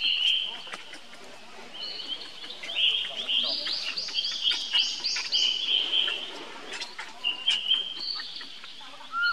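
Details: Young monkey calling for help to its older brother Rainbow: long, high, squealing whistled cries, steady or gently wavering, repeated almost continuously with short breaks, with faint clicks and rustles behind.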